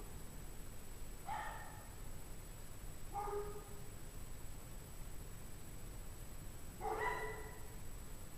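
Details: Distant pack of dogs in 17°F weather, January 9, 2009, 5:00 PM; three sparse, faint barks separated by long pauses, the last one fuller and slightly wavering.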